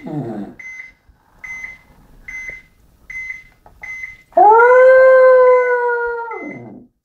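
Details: After a low whimper and a run of high electronic beeps, Sammy the pet dog lets out a loud, sustained howl of about two seconds, holding a steady pitch before dropping off sharply.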